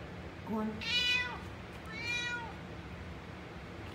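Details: Orange-and-white male cat meowing to demand food while rubbing against a person's feet when hungry; two clear meows, a short rising chirp into a long bending cry, then a second falling meow, over quiet indoor background hum.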